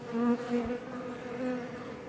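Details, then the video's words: Close-up of Iberian honey bees outside a Langstroth hive near Roquetes, Catalonia, Spain: a short, tonal buzz with clear pitched overtones that swells as a bee passes near, then steadies. "Bees Healing Sound Effect HD - Up Close"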